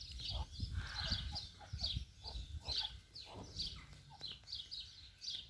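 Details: A meerkat family at zoo breakfast on 31 March 2020, feeding strictly by rank, chatters in a busy mix of short, high chirps and lower, dropping peeps.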